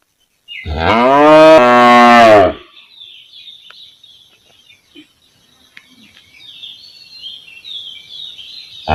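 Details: Village cow recorded outdoors: a single loud, deep moo of about two seconds, followed by quiet with faint high birdsong chirping in the background.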